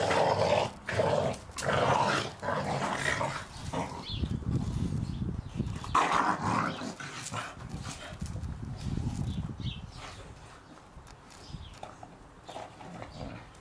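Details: Staffordshire Bull Terriers romping in the garden over a Christmas ball; a few sharp barks open, then rapid rumbling growls that fade toward the end amid rustling.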